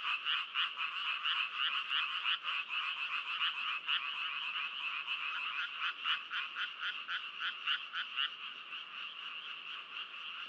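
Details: Frogs croaking together, quick pulsed calls about four per second, loud bursts in the first half easing into a steadier rattling pulse later.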